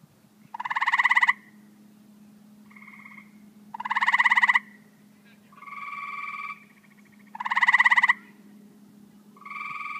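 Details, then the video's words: Chorus of tree frogs, with one loud caller repeating a fast pulsed rattle about every three and a half seconds, alternating with softer, more tonal pulsed calls from at least one other frog; constant low hum behind. "Tree frogs"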